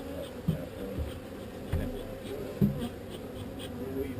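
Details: Honey bee swarm during relocation, its continuous low hum running under a few brief thuds and quiet human voices nearby.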